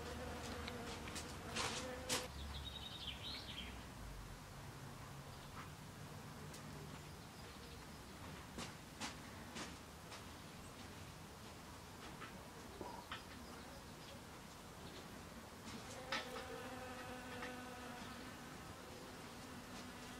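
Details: A western honey bee visiting snowdrop flowers gives a low, steady wing buzz that comes and goes in short bursts against quiet background hiss.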